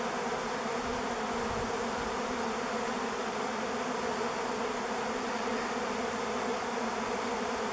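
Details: Thousands of swarming honey bees on top of a driveway, captured by camera on 05-11-21: an unbroken, even, thick buzzing drone with no pauses throughout.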